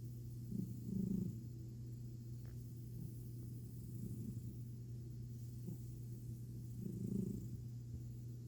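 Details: Domestic cat purring contentedly while its belly is petted indoors; a steady, low, continuous rumble runs throughout, swelling with soft snoring-like breaths around the first and seventh seconds.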